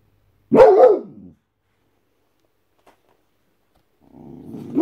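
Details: White Boxer dog barking out of guarding instinct: one loud, deep, rough bark, a long silence, then a second rising, rasping bark building at the end.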